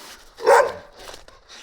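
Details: Young Gampr picked up on a street in Abovyan, Armenia, while its owner is sought, lets out a single loud, short bark, followed by faint rustles.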